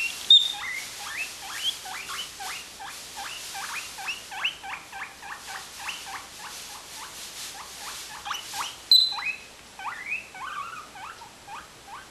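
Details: Two pet guinea pigs wheeking to ask for food, mostly one female with a little help from the other: a fast run of short, shrill, rising squeals repeated several times a second, ending in a few louder, wavering squeaks.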